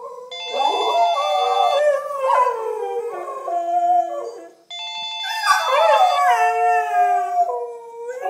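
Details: Two Siberian Huskies, one black and one white, sing along to a steady electronic ringtone melody in long, wavering, sliding howls.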